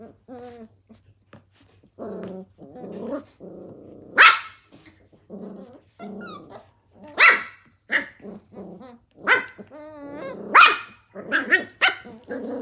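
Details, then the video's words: Australian Cattle Dog puppies, blue heelers, roughhousing in 2020 at Tin Roof ACDs: grumbling growls broken by sudden shrill barks and yips, irregular and excited, with squealing whines mixed through the scuffle. "Australian cattle dog puppies at TIN ROOF ACDs- BLUE HEELER PUPPIES PLAYING"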